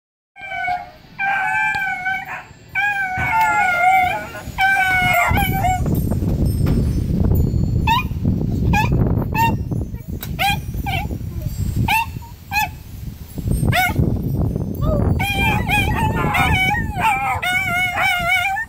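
A Schipperke howls in high, wavering, drawn-out notes with bursts of rustling noise between them.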